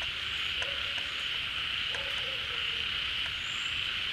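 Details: Many frogs calling together at a pond as water returns in the rainy season, gathering after emerging from hibernation; a dense, unbroken high droning chorus with a few faint short whistles and low chirps scattered over it.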